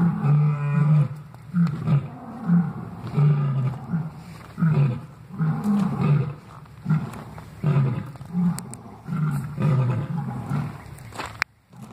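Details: Lions calling in the morning, heard on waking: a long run of deep, rhythmic grunting roars, each short and guttural, repeated steadily about every second before a sudden stop near the end.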